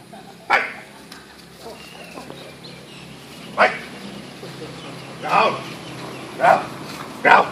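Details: Macchi, a German Shepherd, during a bite training exercise; five sharp, loud bark bursts at irregular intervals, one early and four clustered toward the end, with low background noise and faint voices between them.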